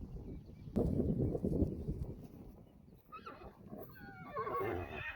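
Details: Friesian horse in a pasture with its herd during a photo shoot: a loud low thud and rumble, then from the third second a wavering, harmonic-rich whinny with quavering pulses that tail off, over wind noise.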